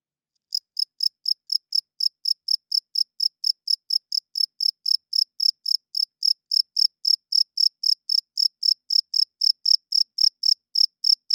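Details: Nighttime cricket chirping fast and loud, about four high, buzzy pulsed chirps per second in a steady unbroken run, slightly intensifying toward the end. No other animals or noises.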